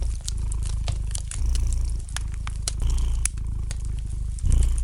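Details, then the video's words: A domestic cat purrs by a fireplace with a steady deep vibrating rumble, swelling louder on alternate breaths roughly every one and a half seconds, with bright crackling and popping of the fire scattered over it. "the gentle purring of the cat"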